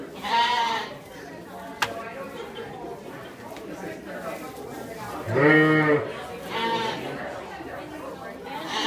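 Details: Cashmere goats getting rowdy at Shepard's Harvest 2016 give three loud, nasal, harmonic bleats, one at the start and two close together near the end. A person talks in between, and there is one sharp click.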